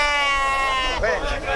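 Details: At a sheep and goat market in Cansanção, Brazil, a sheep gives a steady, drawn-out bleat for about a second, then a man's voice cuts in over the market chatter.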